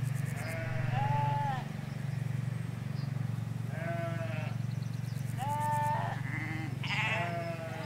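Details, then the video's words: Sheep, ewes with lambs, grazing a field in the Hampshire countryside: several quavering bleats spaced a few seconds apart, some higher-pitched, over a constant low-frequency hum. "4K Sheep Field - One Hour Sound and Video"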